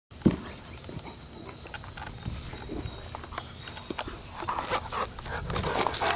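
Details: A Great Dane playing with another Great Dane and a toy ball in the yard gives a sharp, deep bark, followed by scattered growls and yelps.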